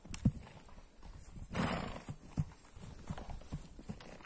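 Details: Horses walking in the snow, one giving a short breathy snort amid the steady crunch and clip-clop of hooves on snow.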